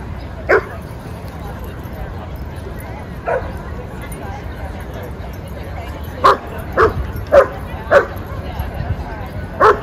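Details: Playing dogs in a Brooklyn dog park bark in short, sharp bursts: one early, one near three seconds, then a quick run of five over the last few seconds, over a constant park murmur.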